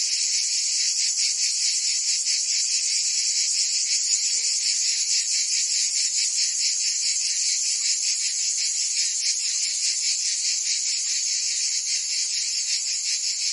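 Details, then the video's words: Cicadas singing in summer in Provence, France: a dense, continuous high-pitched buzzing chorus with fast rhythmic pulsing, steady loudness throughout, no other sounds. "Cicadas singing in France (Provence)"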